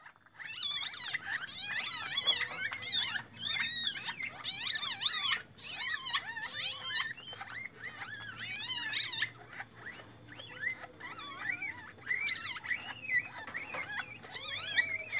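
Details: Captive Asian palm civets at a breeding enclosure, where a normal female gave birth to three young after a brown Bali male was introduced; shrill, harmonic squeaks and chirps come in rapid bursts, with quieter rustling between them.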